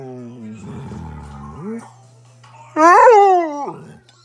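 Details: Pet husky talking indoors: a person speaks at first, then the dog gives a short loud whining howl that bends up and back down, over a low steady hum.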